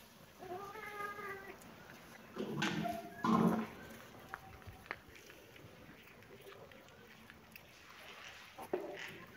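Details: Cat and kitten at play in a happy mood; a drawn-out harmonic meow near the start, then a louder, rougher bout of mewing with thumps, followed by quiet gaps and a few faint chirps and rustles.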